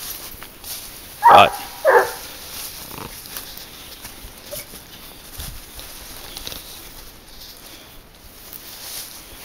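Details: Garuo, a 22-month-old dog hunting wild boar on a leash, lets out two loud, harsh barks in close succession, followed by fainter rustling and quiet outdoor ambience.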